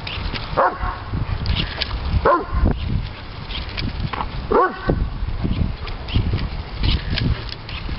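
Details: Diesel, a three-year-old Doberman Pinscher, throws an excited fit over bubbles, giving short harmonic yelping barks that rise and fall, three strong ones spaced about two seconds apart amid steady low rumbling and shuffling noise.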